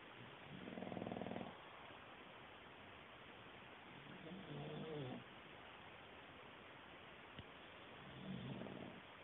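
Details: English bulldog fast asleep, snoring softly in three quieter, rasping low breaths several seconds apart, the middle one more broken and fluttering, with steady hiss behind.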